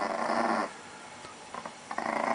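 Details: An aggressive Chihuahua guards pancakes with a rough, pulsing growl lasting about half a second, then a pause with faint clicks before another growl starts up.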